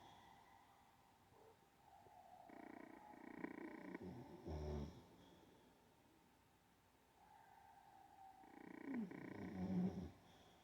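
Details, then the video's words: Olde English Bulldogge snoring in its sleep: a buzzy rasp, a short deep snort, a quiet pause, then a longer rattling snore with a deeper rumble. "olde English bulldog snoring while sleeping"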